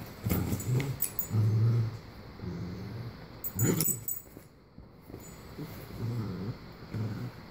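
Cavalier King Charles Spaniels growl low and rumbling in play, with short grunts and snuffling breaths.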